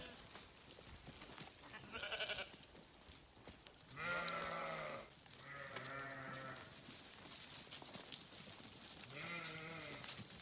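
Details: Sheep grazing on a farm produce several quavering, harmonic bleats, some overlapping, each lasting about a second, over a background of rustling and scattered clicks.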